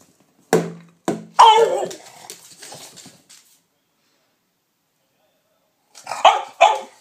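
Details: Dog barking: two short sharp barks, then a longer harsh bark trailing into softer grumbles, a pause of silence, and two more quick yelping barks at the end.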